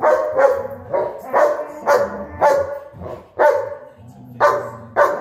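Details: Dogs, a German Shepherd and Huskies, barking during play fighting; loud, rough barks repeated about once a second, ten in all, with short gaps between.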